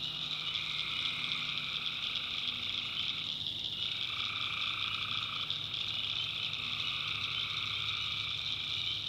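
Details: Tree frogs at night, North Carolina backwoods swamp: a thick, continuous shrill chorus, a lower tone dropping out briefly near the middle then returning, and a soft low drone throughout.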